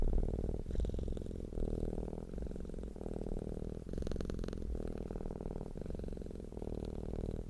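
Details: Relaxed cat giving a deep, steady purr, low humming cycles repeating roughly every three quarters of a second, with a brief faint hiss near the middle.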